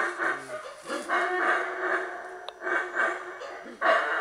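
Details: Howler monkeys near San Andrés, Guatemala: deep, rasping roars that swell and fade in overlapping waves, with a brief lull and a sharp tap midway before the chorus surges back.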